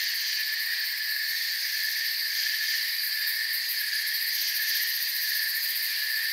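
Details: Dense forest insect chorus of crickets, several steady high-pitched trills sounding at once, shimmering with rapid pulses and no breaks over six seconds.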